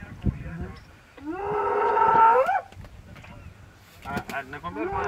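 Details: A sub-adult spotted hyena trapped for hours inside an elephant carcass, harassed by lions in the Mara Triangle, Maasai Mara, on 10 March 2022, gives a loud, rising, drawn-out howl of terror, then ragged, choppy shrieks.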